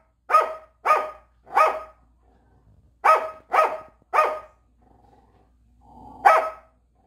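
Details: Barking from Korean Jindo dogs kept by a rural seaside household: two quick runs of three strong, harsh barks, then a lone final bark after a low murmur, in otherwise quiet surroundings.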